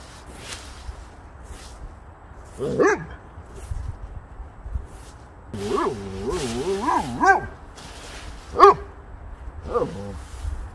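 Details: A Boxer dog romps with a leaf blower and heaped leaves, letting out scattered single barks and a drawn-out, warbling, yodel-like vocal run in the middle, then two more sharp barks near the end, over low background noise.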